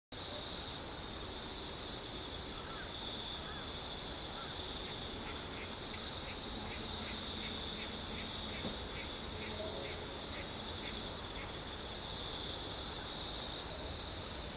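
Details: Evening insects near Shika town on the Noto Peninsula, Ishikawa, Japan. A steady high ringing drone holds throughout with a second, higher band above it. A short run of repeated ticking pulses appears midway, and a soft thump near the end.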